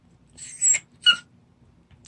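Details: Junggi, the litter's father, whining indoors because he wants to be lifted up next to his 26-day-old puppies; a thin drawn-out squeal followed by a brief piercing yelp, then quiet.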